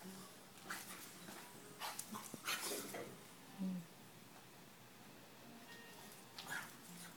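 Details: Two French Bulldog sisters wrestling at play give short, scattered grunts, snorts and yips amid scuffling.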